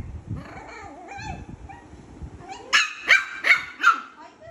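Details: A Shih Tzu puppy fighting with its sister gives softer whining and grumbling, then a run of four sharp, high yapping barks.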